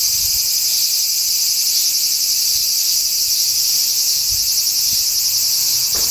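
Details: Cicadas singing in summer, 4 August 2017, hidden from view: an intense, shrill, continuous drone with a slight rhythmic shimmer, plus a few soft low thumps in the background.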